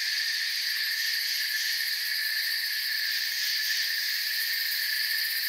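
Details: Steady forest cricket chorus of high, rapidly pulsed trills, evenly loud for the whole stretch, layered in several bands with no break.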